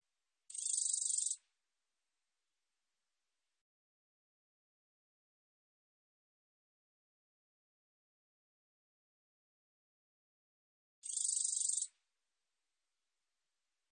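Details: [['A black-edged katydid (검은테베짱이), in a 2020 recording from the National Institute of Biological Resources, makes two high, rasping pulsed buzzes about ten seconds apart, and a third begins at the very end, in otherwise total silence.']]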